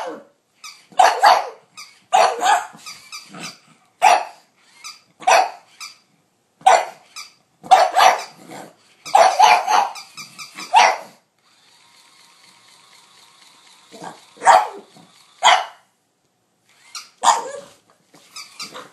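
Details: Yamada, a pug, duelling a capybara indoors, filmed with an iPhone 4S: loud rapid barks in clustered bursts, a brief humming whine midway, then more scattered barks.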